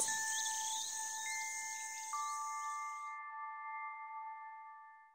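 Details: Bright chime tones strike one after another and ring out, fading over a soft high hiss. No animal sound stands out.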